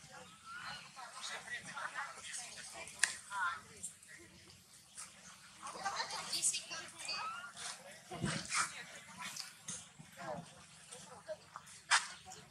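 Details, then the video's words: Baby monkey Maddix crying off and on for no clear reason while his sister comforts him; short, thin, rising and falling squealing cries come in scattered bursts over clattering, rustling handling noises and a low steady hum. "No Reason baby Maddix cry off and on, Maddix was comfort by his sister"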